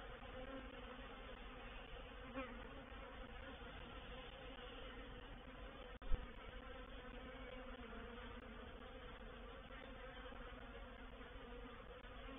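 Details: A reproductive honey bee swarm moving into a swarm trap at Painted Peacock Manor on 04/07/21, heard as a thick, unbroken droning hum rich in low tones, interrupted only by a single sharp tap midway.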